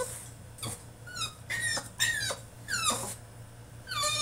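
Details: Caged French Bulldog throwing a tantrum with high, thin squeaky whimpers, falling in pitch, repeated about every half second, fairly faint against room noise and a low hum.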